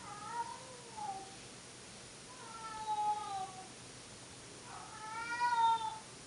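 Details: Domestic cats Monkey and Dipper in old home footage; three drawn-out, wavering meows, the last loudest and slightly rising then falling, spaced about two seconds apart over a quiet room hiss.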